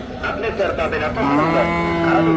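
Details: Sahiwal cow at Hazratpur cattle market in Bangladesh, amid bargaining: a man speaks briefly, then a long, steady, low moo holds from halfway to the end.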